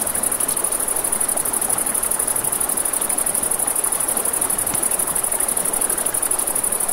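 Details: Crickets at night beside a river, giving a steady, high, finely pulsed trill without pause, over crackling campfire pops and the broad rush of flowing water.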